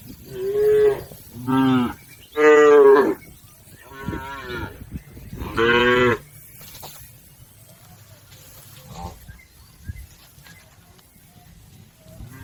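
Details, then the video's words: Livestock cattle herd heading across a river to the pen, five strong moos in quick succession over six seconds, then quieter background with a faint distant call. "Bunyi sapi"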